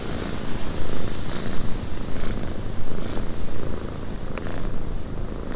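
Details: Domestic cat purring inside a windy cabin: a dense, low, steady rumble with a soft pulsing swell, under a constant broad hiss of wind and faint higher gusts.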